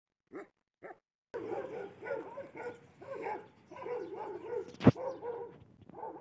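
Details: An angry Afghan Kuchi dog gives two short barks, then a long run of deep, harsh, angry barking.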